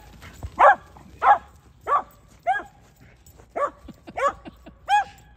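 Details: Whippet yipping repeatedly, eight short high barks spaced roughly half a second to a second apart, each with a bright ringing tone, against a quiet room.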